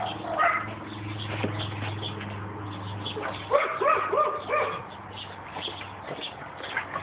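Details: A pug called Bark Vader, excited during play, lets out a quick run of squeaky, wavering yips about halfway through, with a low hum and people's voices in the background.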